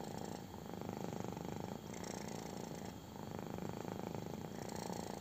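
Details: Intense purring from a kitten during a belly rub, close up: a throaty vibrating drone of quick regular pulses, dipping briefly at breaths near two and three seconds, light scratching of fingers on fur.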